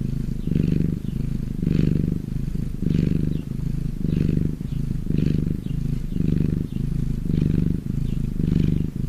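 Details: Domestic cat purring when happy, a deep rumbling purr in steady low pulses, each roughly a second long, with brief breaks between breaths, repeated throughout.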